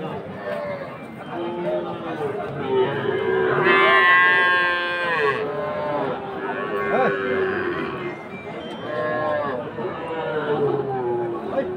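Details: Sahiwal calves at a cattle market in Ambari, Dinajpur, on Monday 20 February: one loud, drawn-out, richly harmonic moo near the middle, with shorter lowing calls before and after, amid steady crowd chatter and faint music.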